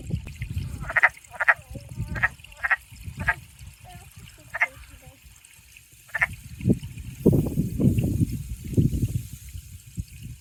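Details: Wood frogs heard on a spring hike at the end of April 2025, one clinging to a stick, give short, hoarse, duck-like clucks in an irregular series, followed by a man talking.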